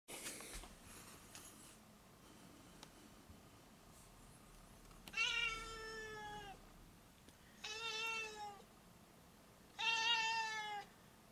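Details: Cat named Foo (ふぅちゃん), wanting to go outside, gives three long harmonic meows indoors, each about a second and a half and slightly falling, spaced roughly every two to three seconds after a brief rustle.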